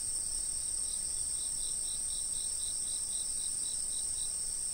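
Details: Continuous shrill insect buzz with a second caller adding a regular pulsed chirp, about three pulses a second, slightly lower in pitch; faint low background noise.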